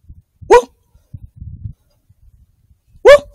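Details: Coyote hunted at night with thermal gear; two loud, short yelps, one near the start and one near the end, each sharply rising then sliding down in pitch, with faint low rustling and thumps between them.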